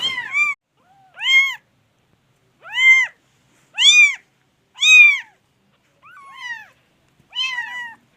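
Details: Kittens meowing indoors: a series of clear, arched, high-pitched mews, about one per second, each rising then falling, with some softer, wavering calls between; no other sounds.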